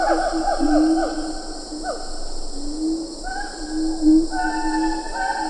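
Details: In Ketambe Forest a siamang calls from medium-close range, lar gibbons audible behind: loud fast runs of descending hoots, then sustained wavering tones and rising notes over constant insect drone.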